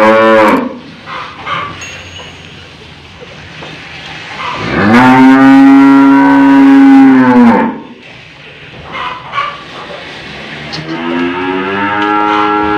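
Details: Aged cow in Indonesia resisting as a nose rope is fitted: a brief call at the start, then a long loud drawn-out moo of about three seconds, steady and level, and another rising moo near the end with handling noise between.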